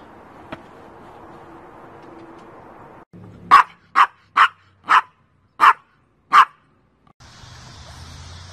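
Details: Pomchi, a Pomeranian and Chihuahua mix dog, gives six short, sharp yapping barks in quick succession over about three seconds. Before and after the barks, a steady low background hum can be heard.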